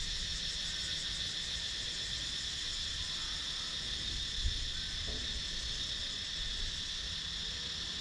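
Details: GoPro Hero 9 recording of cicadas in wooded countryside near Sakon Nakhon, Thailand: an even, unbroken high-pitched whirring drone with soft low background rumble and a single faint knock.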